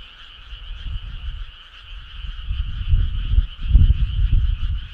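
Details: Frogs calling together on a midsummer night, a continuous buzzing trill in two pitch bands, with deep rumbling bursts swelling in the second half.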